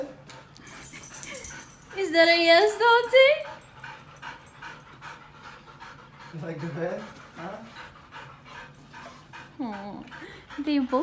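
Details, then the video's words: Siberian Huskies Dante and Antaeus vocalizing while fighting over a new Purple bed at home: drawn-out whiny, rising and wavering calls in several bursts, the longest near the start, with a person talking to them throughout. "Huskies Fight Over New Bed!"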